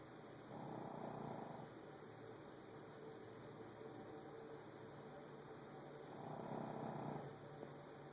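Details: Frankie the Shih Tzu asleep and snoring through his nasal passage, two hoarse, rasping snore bursts about five seconds apart, each near one second long, separated by quiet breathing and even background hiss.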